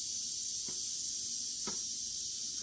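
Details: Western diamondback rattlesnake in the act of killing a mouse; a continuous hissing, high buzz fills the whole stretch, broken only by three brief faint thumps or knocks.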